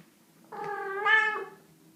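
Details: Cat giving a single drawn-out, rising and falling meow about one second long, clear and harmonic, indoors in a quiet setting.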